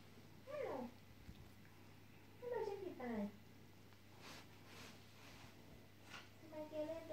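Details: A drowsy house cat gives a few drawn-out, falling meows, some paired in quick succession, over low indoor hum and soft background noise.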